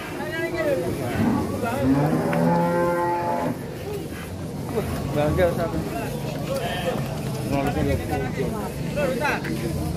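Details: Very large cattle being unloaded from a truck: one low, drawn-out harmonic moo lasting about a second and a half, with laughter, voices and engine noise around it.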